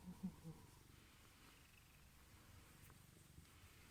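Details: Brief low purr from male Ragdoll cat Misha, born 23 April 2015, at home after being left alone, awaiting Crispy Kiss treats; an even, rumbling drone with a few soft knocks at the start.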